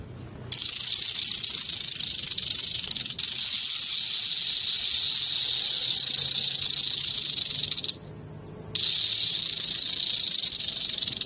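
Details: Western diamondback rattlesnake rattling: a continuous dry high-pitched buzzing hiss held for several seconds, breaking off briefly once before resuming.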